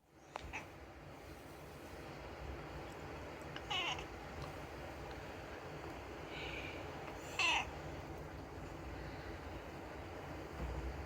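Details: Unagi, a rescued pet cat, meowing in the middle of the night during summer holidays: a few short, bright mews spaced seconds apart over a steady background hiss.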